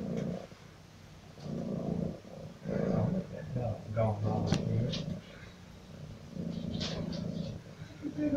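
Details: Domestic cat with a loud purr, heard as a low, rumbling, pulsing throb in waves of a few seconds each, with soft breathy rustles and faint clicks over it.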